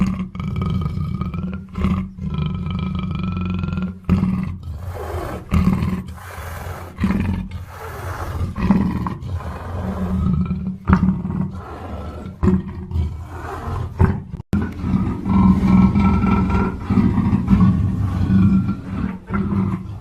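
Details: Black panther roaring and snarling over twenty seconds: heavy low rumbles alternate with harsh, broken bursts in the middle, then return to a steady growl with thin wavering wails above it.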